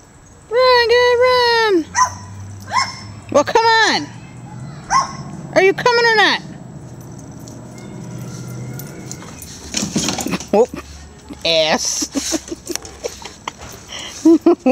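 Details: Pet dogs in a backyard chasing neighbourhood squirrels out of the yard. Three loud, drawn-out, strongly tonal barks or yelps come in the first six seconds, followed by scattered softer yips, rustling and a person calling to the dogs.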